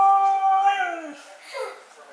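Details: Mishka, a Siberian Husky, 'talks' indoors: a sustained tonal howl that glides slowly downward and fades into soft, breathy vocalizing, just after being asked what she wants to do today.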